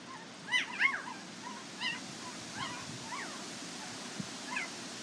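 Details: A Border Collie puppy from Nell and Skeet's litter at the International Peace Gardens, 12 August 2018, harping with a run of squeaky, arched whimpers, a close double cry first, then softer repeats roughly every half second.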